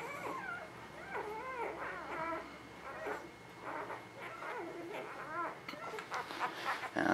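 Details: Whimpering newborn puppies in a spring 2017 litter give short arched squeals and thin whines, overlapping from several pups, with handling noise toward the end.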